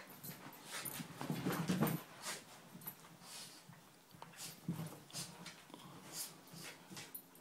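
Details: Dummy, a female Miniature Schnauzer, at morning ball play indoors: a strong low rumbling grumble for about a second early on, a shorter one later, amid repeated sharp clicks and scrabbling knocks.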